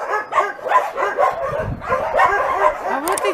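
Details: Homeless dogs awaiting adoption, among about 2,000 animals, raise a continuous clamour: layered barks and higher yips from many animals at once, some rising whine-like notes near the end.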